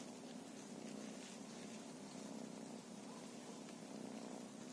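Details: Feral cat purring in a steady, unbroken low rumble that holds an even pulse for the full stretch, soft and close, with faint background hiss and no other clear sounds.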